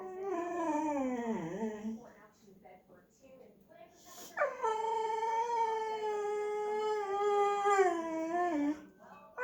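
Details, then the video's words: Boxer dog, vocal and afraid to fetch its ball toy from under a shopping bag, indoors: a falling whine dips low near one and a half seconds, then a long sustained high whining howl lasting over four seconds before tapering down. "Vocal Boxer dog afraid of toy"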